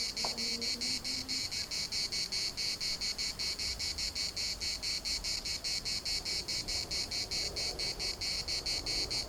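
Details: A chorus of cicadas in a municipal park in Larnaca gives a bright, rasping buzz in rapid regular pulses, roughly two or three a second. A short lower tonal sound appears at the start.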